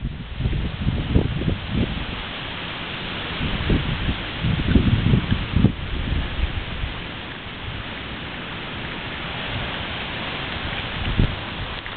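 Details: Heavy outdoor rumble and rustling, like wind buffeting the microphone or rain, with bursts of low noise and no animal calls.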